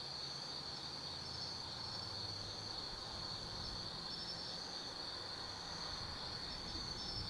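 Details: Autumn insects singing at night in the forest of Tsukimi no Mori, Kaizu, Gifu Prefecture, Japan, from an overlook 180 m above the Nobi Plain: a steady high shimmering trill holds throughout, over a faint low rumble.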